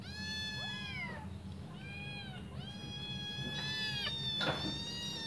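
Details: Five hungry kittens meowing as they wait for their mother to return and feed them: high, clear meows that rise and fall, several overlapping, with a steady low hum underneath.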